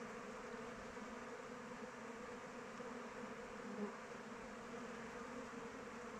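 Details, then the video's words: Honey bees flying around their hive in open weather: a steady, dense buzzing hum of many wings, continuous and even throughout, with a faint brief tone near the four-second mark. "Bees flying around hive"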